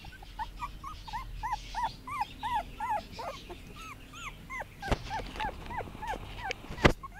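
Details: Puppies on their first day out in a garden in 2017 give a run of clear arched whimpering yelps, several a second, then scattered squeaks and a couple of sharp knocks near the end.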